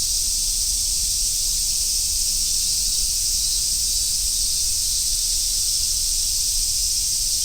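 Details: Along a wooded summer road in Japan, large brown cicadas, Minmin cicadas and others keep up a steady, high, sizzling drone with no pauses, a light low murmur beneath.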